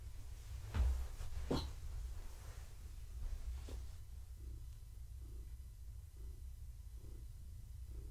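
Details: Gaia, a pregnant long-haired tabby cat, purring in the evening while being petted, kittens moving inside her; handling thumps at first, then a soft low purr pulsing with each breath, roughly every 0.7 seconds.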